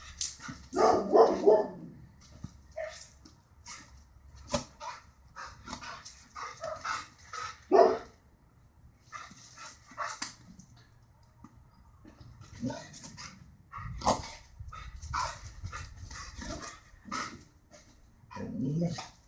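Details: Border Collie that dislikes birds, barking in short bursts: a cluster of harmonic barks early on, a single loud bark near the middle and a final burst at the end, with quieter yips and clatter between.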